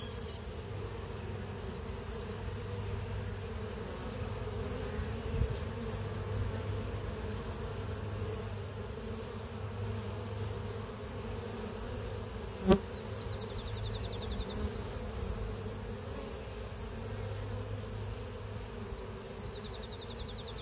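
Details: Honey bee hive buzzing: a constant low drone with steady harmonic bands, a sharp click near the middle, and faint high bird trills in the background toward the end.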